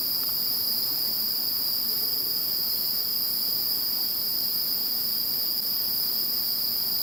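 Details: Insects calling after Typhoon No. 21 has passed: a dense, continuous chorus of high, steady ringing tones layered at several pitches, unbroken for the whole stretch, with a faint low background hiss.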